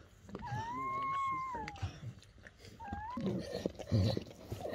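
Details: German Shepherd puppies whimpering as their mother Betty gives birth indoors at night under a dim camping light; a long, steady, high whine held over a second, then a shorter rising one, with people talking and handling sounds nearby.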